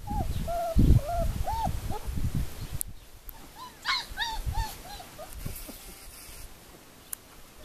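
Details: Four-week-old puppies from Le Domaine des Pertins whining: arched, high whimpers repeated in quick bursts, several overlapping, with low thumps and rustling handling noise early on and a sharp click near the end.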